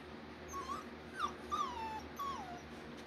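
German Shorthaired Pointer puppies give a few thin, high whimpers, each sliding up or down.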